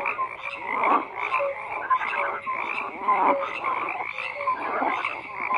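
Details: Frogs croaking in a dense chorus, overlapping pulsed calls spread across mid and upper pitches, louder bursts roughly every second, with no other clear sounds.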